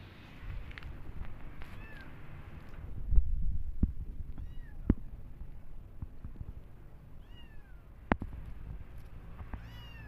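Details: Kittens of a cat family on a visit to a new place give brief high meows, scattered a few seconds apart, among knocks and sharp clicking sounds over a low rumbling background.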